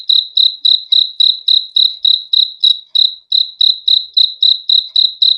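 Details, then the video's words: Cricket giving a run of sharp, high chirps at roughly three and a half per second, regular and unaccompanied, with one slightly louder click midway. "BEAUTIFUL SOUND OF CRICKETS"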